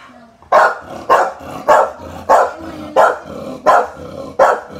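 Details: Barking from a female American Bully, mother of a litter, in the Philippines: seven deep, hoarse single barks spaced evenly about two-thirds of a second apart after a brief quiet start.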